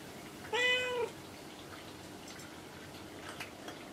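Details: A pet cat called Kinako, often found on shelves or cage tops indoors, answers her owner with one short, clear meow, then near silence with faint household noises.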